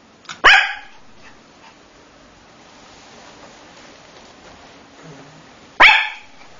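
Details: Male Coton de Tulear puppy giving two sharp, high barks about five seconds apart, with quiet room background between them.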